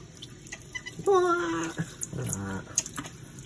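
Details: Grumpy female Geoffroy's marmoset taking a bath, giving a loud, long, whining cry that slides gently downward, followed by a shorter, lower harsh grumble, with dripping water and a man speaking soothingly around it.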